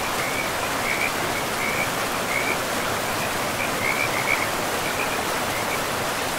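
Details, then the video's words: Beside a forest river, frogs give brief high chirps in loose clusters, some doubled, partly swallowed by the constant hiss of rushing water. "River and Frogs sleep sounds"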